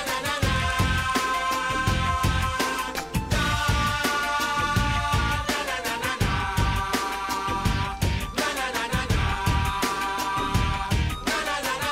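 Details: Loud continuous pop-style music with layered instruments and percussion fills the whole stretch; no animal sound is heard.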